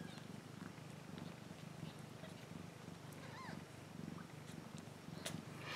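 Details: Domestic cat purring steadily as a low, rumbling pulse throughout, with a faint high chirping bird call midway and soft clicks and rustles.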